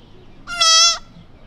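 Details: Tiny lost newborn whitetail fawn calling for its mother in a quiet suburban neighborhood; one clear, high, nasal bleat about half a second long, steady in pitch with rich harmonics, over faint background hiss.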